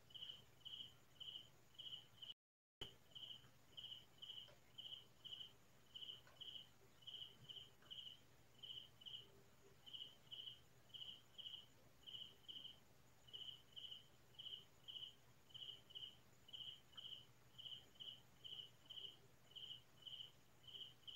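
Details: Night crickets singing in the quiet Philippine countryside near midnight: a steady, unbroken chain of short, bright chirps, roughly two per second, with a brief gap of silence early on.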